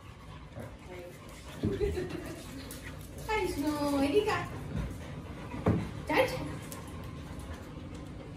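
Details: A Siberian Husky indoors in the morning, in sudden household chaos as everyone wants to go to the terrace, gives mid-pitched, sliding howls and whining yowls in several quick bursts, possibly with other voices joining, over household noise.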